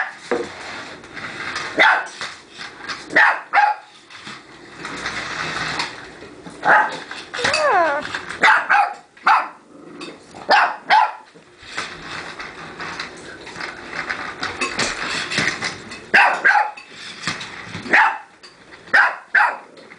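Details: A young dog barks at a remote-controlled car, loud clipped barks in irregular clusters across the recording, with a rising whine midway and people talking in between.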